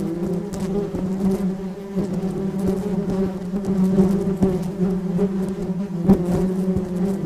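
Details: Flying bee giving a steady, low droning buzz with rich overtones, its loudness swelling and easing slightly as it moves, with a few faint clicks throughout.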